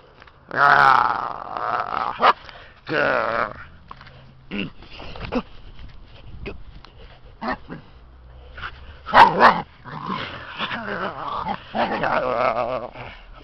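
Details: Male Siberian Husky puppy play-attacking a person: bursts of whiny, harmonic growls and yelping grumbles, several lasting about a second, with a man's voice and handling noises between them.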